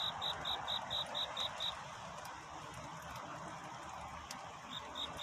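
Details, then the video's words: Cricket singing at night toward dawn, a courtship song in search of love; a quick series of about seven high, clear chirps in under two seconds, a pause, then chirping resumes over a soft hissing background. "귀뚜라미 울음소리. 슬퍼 말아요 우는 것이 아니라 사랑을 찾는 노래랍니다"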